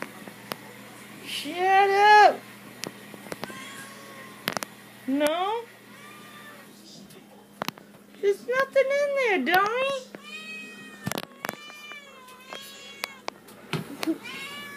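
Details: Indoor pet cat pleading for cabinet treats: several rising and falling meows, some short and sharp, others long and warbling, mixed with a person's chatter and tapping sounds.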